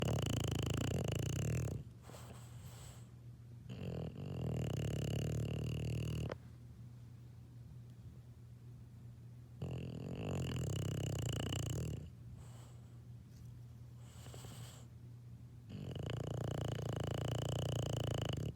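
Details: Sleeping English Bulldog puppy snoring indoors: four rasping, low rumbling snores of about two to three seconds each, separated by quiet pauses, over a steady low electrical hum.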